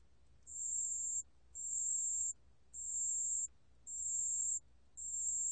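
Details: Pale bell cricket song from a 2020 National Institute of Biological Resources recording: a high, pure, ringing trill in bursts of about three-quarters of a second, repeated roughly once a second, five bursts against a quiet background.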